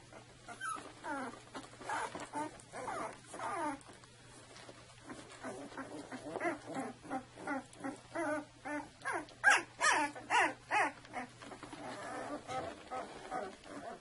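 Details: A two-week-old litter of Saluki puppies whimpering and squeaking in short, rapid bursts of two or three per second, some louder yips near the end, over a low steady hum.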